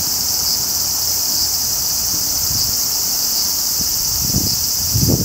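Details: Large brown cicada (Graptopsaltria nigrofuscata) producing a continuous high-pitched sizzle with slight pulsing, over low rustling and a few soft thumps near the end.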